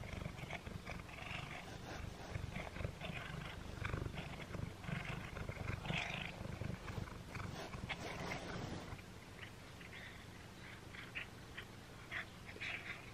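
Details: Chewing and tugging at a Friskies Pull And Play string treat, the first one Simba the cat has tried. Rapid irregular crunching clicks and wet chomps ride over a continuous low rumble, with a brief quieter stretch midway.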